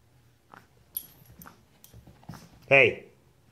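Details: Pug puppy named Yoshi, appalled by a fake fart app on a tablet, lets out one short, high, whining yelp after a person murmurs calming words.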